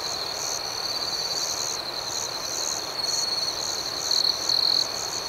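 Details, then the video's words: Shrill nocturnal chirping of crickets: a sustained high whine with rhythmic pulsed chirps, growing slightly louder toward the end, where two short intense trills stand out. "Soothing Cricket Sounds"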